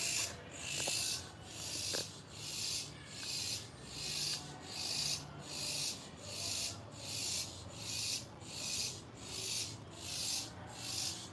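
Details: Several cicadas on a passion fruit plant leaf near a house: a loud, high, hissing buzz that swells and fades in steady pulses, roughly one every 0.75 seconds, about fifteen in a row, with faint low background rumble.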